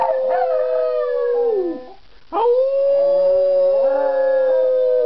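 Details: Miniature schnauzer howling as if singing for an audience: a long sustained tone held for nearly two seconds, sliding down, a brief pause, then a second steady howl swelling up and held to the end.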